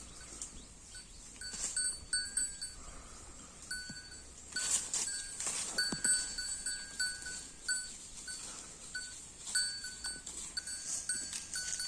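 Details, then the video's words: Holstein Friesian cow eating grass: repeated crisp tearing and crunching bursts at an irregular pace, with steady high-pitched ringing tones running in the background throughout. "HF cow eating grass"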